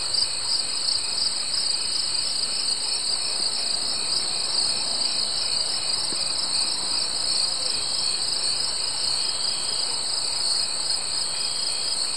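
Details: Summer insects, crickets, sing a steady, high, shimmering trill without a break, just after sunset.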